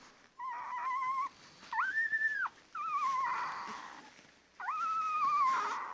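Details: Whining from ten-day-old Labrador Retriever puppies: four long, high, sustained wails, some wavering and some flat, separated by brief pauses.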